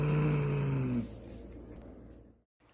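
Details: A domestic cat gives a low, steady growl, a defensive warning at peak tension, often after hissing, with fur raised and back arched, telling the other to keep away.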